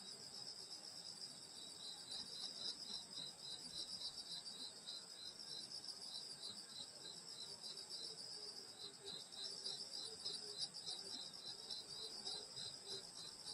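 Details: Night insects of a Korean village in summer, grandmother's house: high continuous trills with a rapid beaded pulsing, roughly three to four beats a second, and a faint lower chirp joining partway.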